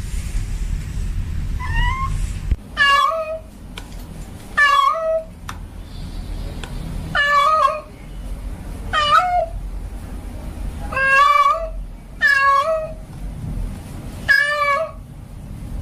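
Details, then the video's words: Male domestic cat in heat calling a female, giving about eight drawn-out meows, each rising then dropping in pitch with a wavering tail, repeated every one to two seconds against low indoor hum. "Suara kucing Jantan Birahi memanggil kucing Betina"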